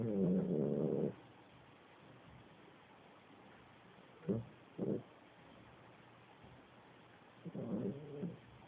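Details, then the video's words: A 13-year-old Italian Greyhound, snoring more as he ages, snores in low buzzy bursts: a long rumble, then shorter snorts. "Nubi the Italian Greyhound Snoring like a Pro"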